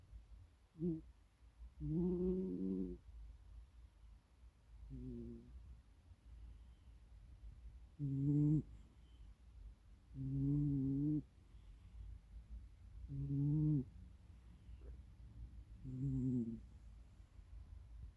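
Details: A domestic cat snoring. Deep, rattling breaths come roughly every two to three seconds, seven loud ones in all, each one voiced and buzzy with a low tone, separated by quiet pauses.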